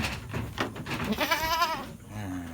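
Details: A goat at a farm pen in Lhokseumawe, Aceh, Indonesia, gives a short quavering bleat that fades into a lower, steadier note. Human voices and shuffling sounds run underneath.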